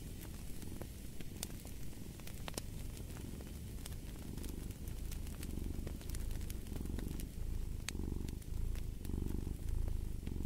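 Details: Deep, rumbling cat purr, softer and more even early on and then rising into stronger pulsing breaths near the end, accompanied by scattered snapping crackles of a log fire.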